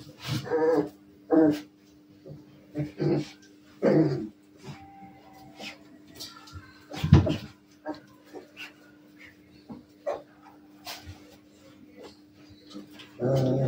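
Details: Maremma Sheepdog puppies at play: short gruff yelps and bark bursts in uneven clusters, with snuffling and scuffling noises between them and a steady low hum underneath.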